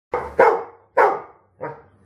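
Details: Rhodesian Ridgeback barking during training with a Manners Minder: four sharp, loud barks packed into two seconds, each fading quickly, the last one softer.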